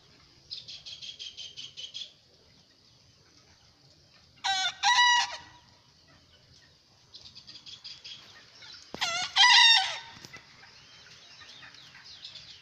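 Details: Young bekisar cock, a would-be champion, utters two brief, loud, layered crows several seconds apart. Between them come softer pulsed buzzy trills, over a continuous shrill background drone.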